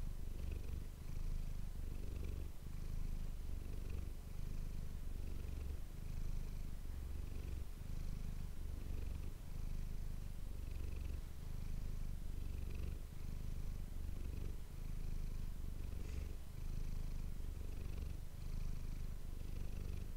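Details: Close-miked pet cat Manis purring for an ASMR recording: a deep, even rumble pulsing in regular breath cycles throughout, with occasional tiny higher clicks and rustles in the quiet room.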